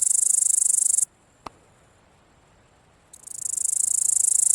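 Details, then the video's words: Grasshopper buzzing in a dense, high-pitched hiss for about a second, then falling silent for two seconds apart from a single faint click, before the rasping buzz starts again and swells back to full loudness. "Grasshopper making sound"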